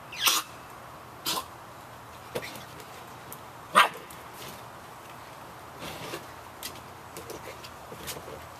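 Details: Samoyed puppies, 51 days old, yapping in the rain: short, sharp yaps at roughly one-second gaps early on, the loudest near the fourth second, then softer scattered yips over a steady hiss of rain.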